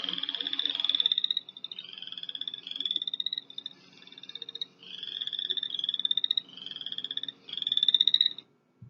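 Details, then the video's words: Chorus frog call played from a recording, likened to running a thumb along the teeth of a comb: high, rapid, rising clicking trills, each lasting about a second and repeated steadily with short gaps, over a clean quiet background. "here's an example of a chorus frog they sound like when you run your thumb along the teeth of a comb"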